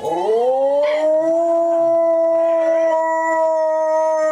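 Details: Dog howling on opening day in Dodger Valley: a loud sustained howl rising at the start, then holding a steady tone with strong harmonics, with a second voice joining in a higher layer.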